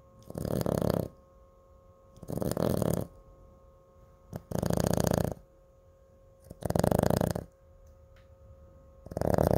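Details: Chihuahua Cooper asleep, snoring loudly with rasping, rumbling breaths roughly every two seconds, five strong bursts with quiet pauses between, the sound deep and rattling like a small engine.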